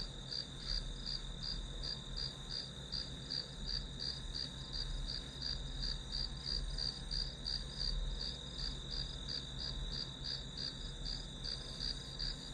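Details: Grass insects heard as white noise for a one-hour study session: a steady high ringing trill with brighter chirp pulses about three per second, over a low constant hum and rumble.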